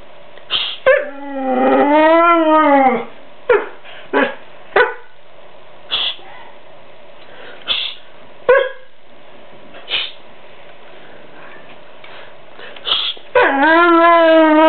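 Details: An 11-month-old male white Siberian Husky, very vocal and rarely barking, "argues" with his owner in drawn-out, wavering howl-like moans with short yips and woofs. He talks on command.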